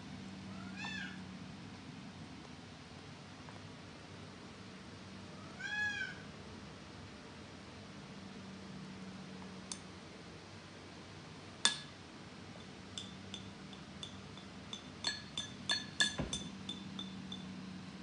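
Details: Norwegian Forest Cat indoors, obsessed with socks, gives two short rising-falling meows early on, then quiet low hum with scattered clicks and taps.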